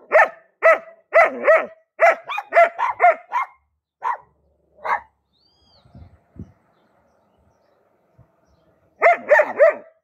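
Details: German Shepherd barks rapidly, about two per second in a long volley, falls silent for several seconds with faint movement noise, then resumes with a quick burst of barks.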